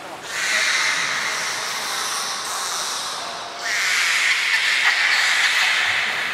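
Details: Belugas Taanya, Nana, Mirai and Niko during a training session at Port of Nagoya Public Aquarium on 11 July 2020; a loud sustained squealing tone with bright stacked harmonics, pausing briefly midway, then resuming louder for several seconds.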